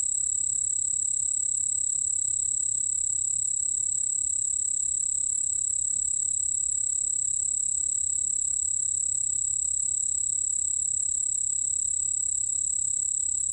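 A white-whiskered bell cricket sings a continuous, high, pure-toned ringing trill without a break.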